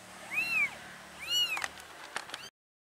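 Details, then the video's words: Domestic mother cat moving her kittens to a new place, two bright arched meows about a second apart, followed by soft clicks and rustling before the sound cuts off. "Mom Cat Carries 4 Kittens | Mama Cat Carrying Baby Kittens Compilation"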